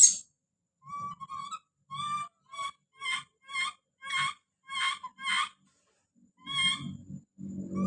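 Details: Baby monkey Don screaming as he calls out: a string of about ten short, shrill, harmonic-rich cries, evenly spaced and slightly rising. Soft low rumbling noise fills the final second.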